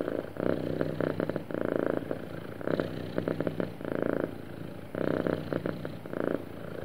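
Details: Happy cat purring smoothly, a soft vibrating drone that surges in bursts on each breath, with clear quieter pauses between cycles, recorded close and clean.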